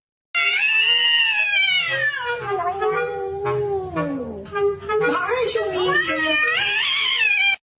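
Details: A domestic cat gives a long, drawn-out angry yowl that slides down in pitch then climbs again, a sound cats make when fighting.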